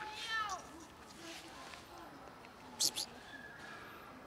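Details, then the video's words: Fluffy domestic female cat that refuses to be petted but meows in thanks for food: one brief descending, harmonic meow at the start, then quiet room tone with a couple of sharp clicks and a person saying thank you. "Fluffy cat just won't let me pet her but thanks me for food"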